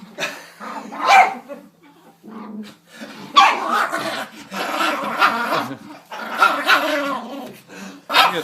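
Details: Angry pet dog telling off a door, giving loud, rough growling barks in uneven bursts with short pauses between them, each burst harsh and throaty, over about eight seconds.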